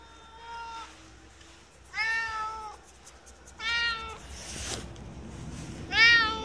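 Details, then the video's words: Friendly shop cat in Hirafu Village, Hokkaido, Japan, meowing four times in about six seconds, each call a warm, slightly rising-then-falling tone under a second long, with a brief rustling noise between the third and fourth. "Friendly cat with the warmest meow"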